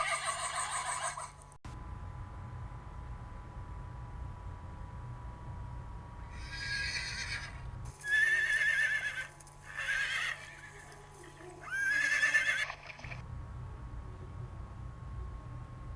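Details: Horse neighing in a series of loud, harsh whinnies between about seven and thirteen seconds, each bright and quavering with a thin high tone, after a quiet opening and a steady low hum throughout.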